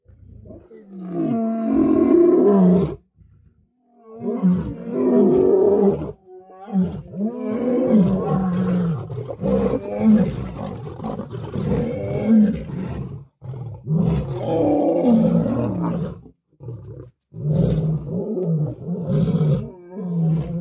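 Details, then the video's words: Wild lions, lionesses and cubs fight for dominance over food at a kill, with the larger males feeding first. Harsh, rasping roars and snarling growls come in overlapping bursts every two to three seconds, with brief silences between them. "An Incredible Fight of Dominance Over Food Among the Lions, Lionesses and Cubs"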